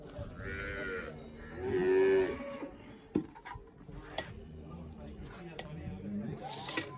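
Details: Cholistani Friesian cross cow in Pakistan letting out a drawn-out, harmonic lowing moo of about a second, after a fainter opening note, with people talking and clattering handling noises nearby.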